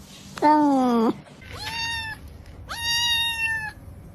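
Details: A cat meows three times indoors: a loud, low, slightly falling first meow, then two higher, steadier, drawn-out meows, each about a second long, with short quiet gaps between.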